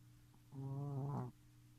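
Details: Three-month-old Shih Tzu puppy snoring: a single buzzy, droning snore lasting under a second, rising slightly at its end, over a steady low hum.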